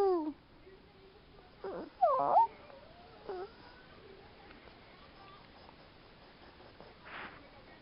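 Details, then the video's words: A Chihuahua howling: brief high wavering whines that slide downward, then a louder rising-then-falling wail near the two-second mark, followed by quieter short cries and a faint breathy sound near the end. "o uivo de uma Chihuahua"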